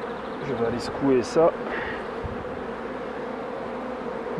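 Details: Honey bees buzzing at opened hives during beekeeping work, including shaking bees off combs; a man speaks over the hum at first, then the steady drone carries on alone.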